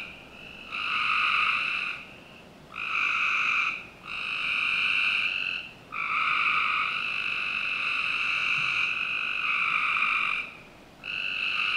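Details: Frogs on a summer night behind a Northern Virginia house, sending out a series of harsh, harmonic buzzes, some short and one stretched to nearly five seconds, with several callers overlapping.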